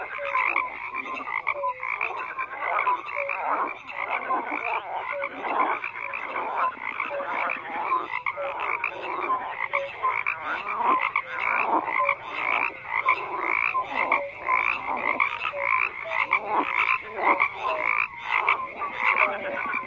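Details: Many frogs croaking together in a dense chorus, overlapping pulsed calls spread across middle pitches with brief higher notes, steady and unbroken throughout.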